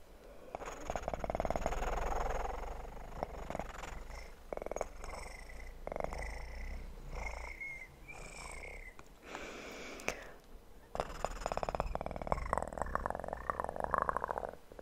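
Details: Kitten purring in an ASMR recording for sleep, a low continuous rumble under frequent rustling, crinkling and tapping trigger sounds that come in bursts throughout.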